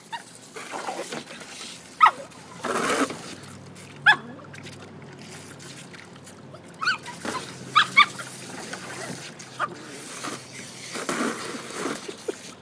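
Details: Toy Fox Terrier named Maggie at play with a garden hose in a swimming pool, giving scattered sharp, brief yelps every second or two, some in quick pairs, against continuous rushing spray and splashing water.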